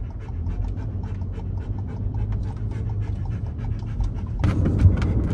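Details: Female German Shepherd dog in a Ford Bronco Sport on her way to the vet in Tucson, Arizona; rapid, steady panting of about four breaths a second over a low engine rumble, with a brief rustling scrape near the end.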